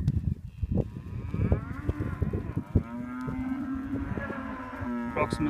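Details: Hereford steers and heifers, a lot of about 22 head weighing around 348 kilos, heard at a livestock sale. A man speaks over background clatter, then a steady, drawn-out moo holds level for nearly three seconds to the end.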